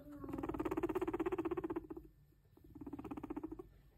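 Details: Max, a pet guinea pig, calling while being given hay to eat: rapid pulsed, stuttering notes in two bursts, a longer one of about a second and a half, then a shorter one after a brief pause.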